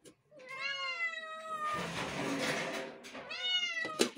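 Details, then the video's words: A kitten gives a drawn-out meow sliding down in pitch, followed by a rough noisy burst and then another shorter meow, all indoors with a click at the end. "My all kittens is saying meow meow"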